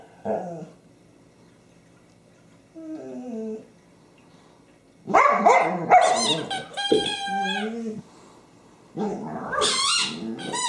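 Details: Honey, a female pet dog, vocalizes with her favorite squeaky toy on 24 January 2012: short descending whines, then a burst of layered harmonic wails around six seconds and another near the end, with quiet gaps between.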